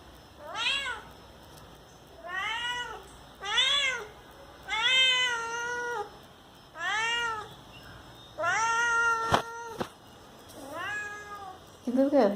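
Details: Pet cat meowing indoors, apparently asking for the door to be opened: a series of about eight clear harmonic meows, arched or flat in pitch, spaced one to two seconds apart, with a sharp knock near the end and a person speaking Hindi around it.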